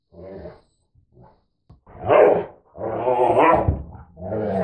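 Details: Mutt dogs, a retriever/Labrador mix against a husky/Labrador mix, vocalizing back and forth: soft low grumbles first, then loud rising-and-falling growling howls, two long strained phrases and a shorter one, no other sounds.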